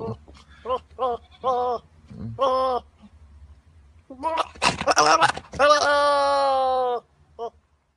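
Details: An angry goat gives short quavering bleats in quick succession, then a long, loud, strained bleat lasting about two seconds before a final brief call.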